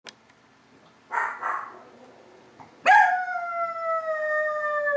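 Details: A female Chihuahua at home, which normally just barks, gives a long sustained howl that starts high and slowly slides lower over two seconds, after a short rough burst earlier on.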